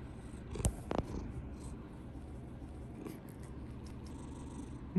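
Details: Straw-coloured pet cat snuggling up to its owner before bedtime: a steady, low rumbling purr running throughout, with a couple of sharp knocks near the start.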